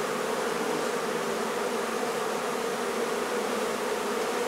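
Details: Honey bees from a hive inside a barn in La Feria, Texas, disturbed during relocation: an unvarying massed hum, low and constant throughout, like a swarm filling the air.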